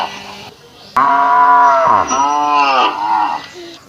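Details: Indian village cow in Assam, India, gives one long, loud, harmonic moo lasting about two and a half seconds; the moo bends downward midway, then rises and fades. A faint hum comes before it.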